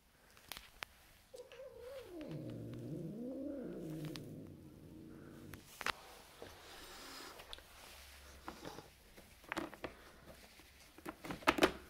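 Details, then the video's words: A Turkish Van cat, being introduced to a new roommate, gives a long, wavering growl that dips low and rises again, then a breathy hiss. "Turkish Van cat introduced to a new roommate. Hissing and growling."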